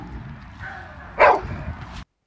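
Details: Dog barking during a tense face-off between a dogo and a mastiff, with another dog present; a single loud, sharp bark after a low murmur of background noise, followed by quieter rustling before the sound cuts off.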